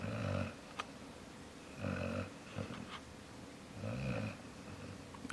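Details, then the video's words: Jaxson the dog asleep indoors, snoring in low rumbling bursts that repeat about every two seconds, three snores with quiet breathing gaps between them. "Jaxson snoring"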